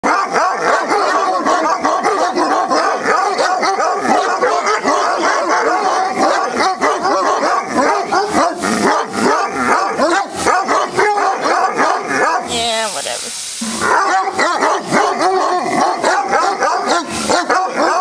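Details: A pack of dogs at Cheverny barks and bays together in a dense, continuous, overlapping chorus.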